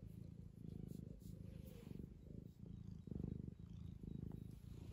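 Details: A young 2-year-old male tabby cat purrs steadily while being fussed by his owner, a low rumbling thrum pulsing with each breath.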